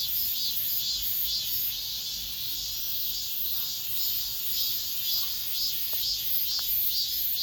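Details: An end-of-summer cicada chorus inside an apartment complex makes a steady, shrill, high buzz that pulses faintly about twice a second. A few faint ticks come near the end.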